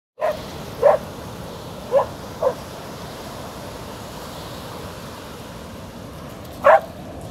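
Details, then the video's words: Milli, a Border Collie, barks at the waves on a beach: five short sharp barks, a quick cluster in the first two and a half seconds and one more after a long pause, over a steady hiss of surf. "Milli the Border Collie Barking at the Waves on a beach"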